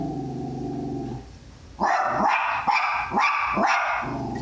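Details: Tally-Ho, a Jack Russell Terrier going after a guinea pig, gives about four sharp, rapid barks in close succession after a person talks quietly at the start.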